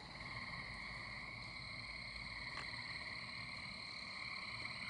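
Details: Gray treefrogs and American toads calling at night in spring or summer around a house near a pond, some echoing from small spaces; a steady, unbroken trilling chorus with high ringing tones and a faint low rumble beneath.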